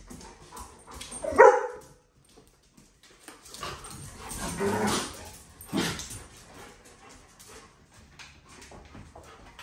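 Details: Dog on a return visit to an old dog park: one sharp, loud bark near the start, followed by softer, breathy noises and rustling in an otherwise quiet outdoor setting.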